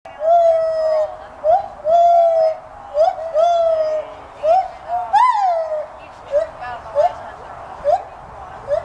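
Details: Captive white-handed gibbons at a college teaching zoo in Gainesville, Florida, calling in loud hooting notes that rise in pitch. Some notes are drawn out and others clipped, with a rising whoop midway and echoing overtones.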